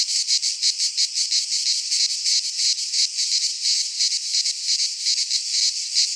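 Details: Summer chorus of cicadas in a Greek pine wood, heard as an intense, metallic buzzing drone with a clear regular throb, almost three pulses per second, steady from start to end.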